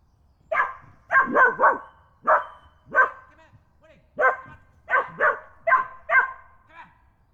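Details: Persistent barking from a dog directed at a photographer sitting on a log in woods in the UK; loud, sharp barks in irregular clusters of one to three, continuing over several seconds.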